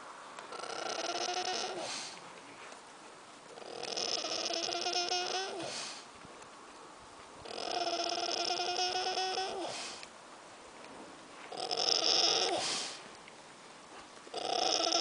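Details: Sleeping pig recorded 1 August 2010, snoring in slow rhythm: drawn-out, rough, buzzy breaths of about two seconds each, separated by quieter pauses, repeating roughly every four seconds.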